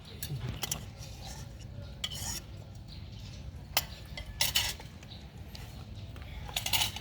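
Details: Clinking cutlery and clattering dishes over a low steady hum, with brief sharp metallic knocks and a murmur of faint speech.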